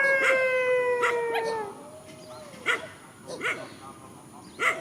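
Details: Facing each other in a field, countryside dogs give a gently falling howl for nearly two seconds, then a softer drawn tone and a few sharp separate barks spaced about a second apart.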